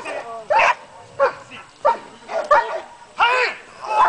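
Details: German Shepherd at a competition during protection work, giving five sharp, loud barks spaced about two-thirds of a second apart, each with a bright, strained tone.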